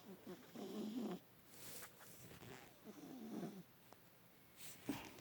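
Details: Bubs, an adopted pet cat, snoring loudly while asleep in a lap for the first time, twitching with body convulsions; two rasping low snore phrases about two seconds apart, with faint human voices and rustling.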